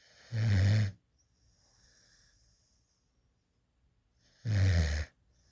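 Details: Adopted rescue puppy, female, sleeping in a lap and drooling, produces two loud low rumbling snores about four seconds apart with near silence between them.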